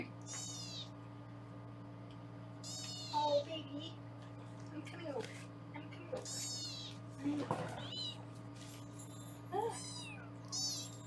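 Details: Foster kittens on a live kitten cam in Los Angeles, indoors while being weighed, give high, thin meows in separate bursts every two to three seconds, each rising then falling, with a woman talking quietly and a steady hum behind.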